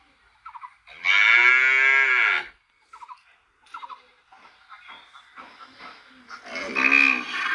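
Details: A cow gives a strong, drawn-out moo lasting over a second, followed by scattered soft knocks and rustles, then a second moo starting near the end.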